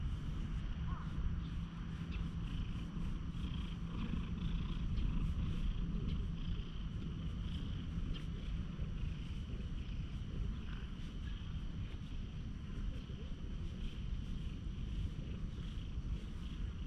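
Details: Petted stray cat that lost one eye, met in a quiet park and filmed with a GoPro HERO8, gives a continuous deep rumbling purr with faint rustling and brief human voice in the background.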